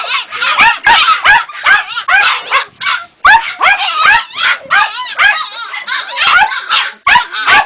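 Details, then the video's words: Jagdterrier puppy aged two and a half months giving rapid, high-pitched yelps and whines, about two or three per second, each a short bent squeal with bright overtones, in an irregular, excited stream. "Jagdterrier Ega P 2 luni jumate"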